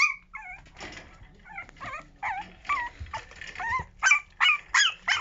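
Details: Young puppy from a new litter, at the start of toilet training, making wavering high whimpers and short yips, irregular at first and then quicker, with faint background rustling.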